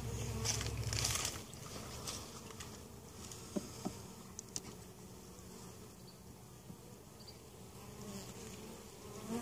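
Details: Western honey bees (Apis mellifera) hum steadily at a hive in Mt. Perry, Ohio, a low, continuous droning buzz; the weak hive survived winter, has its queen and capped brood, and is being treated for varroa mites.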